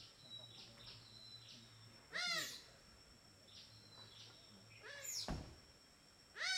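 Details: Smooth-coated otters in a river in Borneo, a playful group feeding on fish at dinner time, give three loud rising-and-falling squealing chirps spaced a few seconds apart. Faint thin whistles and a constant high ringing tone sit in the background.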